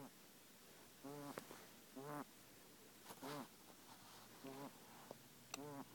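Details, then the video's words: Male guinea pig Kenny, kept as a pet and struggling to breathe, produces five rasping, squeaky wheezes about a second apart, each with a wobbling pitch, plus light tapping noises. "Guinea pig has breathing problem HELP!"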